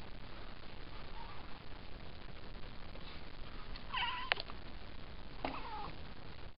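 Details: Cat making a strange noise while watching birds flying about outside: two brief, sharp, squeaky calls a second apart near the end, each a quick wavering chirp, over a steady background hiss.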